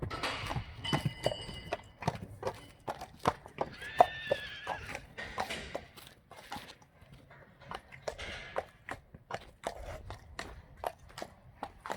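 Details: Friesian horses let out into the meadow on a warm summer evening, galloping and kicking; a short harmonic whinny rises above a steady run of sharp hoof clicks on the ground.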